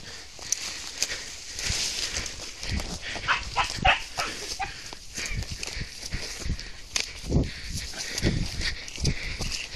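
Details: A female Beagle on her first roe deer encounter gives short, rough barks in irregular bursts, baying at the deer.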